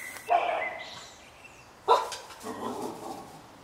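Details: A 20-week-old (5-month-old) puppy, 75% Friese Stabij and 25% Wetterhoun, in a garden, gives two sharp, mid-pitched barks about a second and a half apart, then a softer, grumbling yip.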